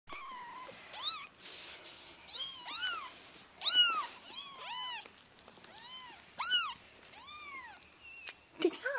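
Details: Persian kittens at a cage-free cattery in Oregon, giving a run of high, arching meows, several overlapping and repeated roughly every second or so in quick succession, with faint room noise between calls.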